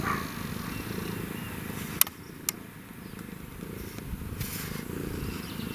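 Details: African wildcat with a kitten, purring: a steady, continuous low rumbling purr throughout, broken by a couple of sharp clicks about two seconds in and faint higher rustles.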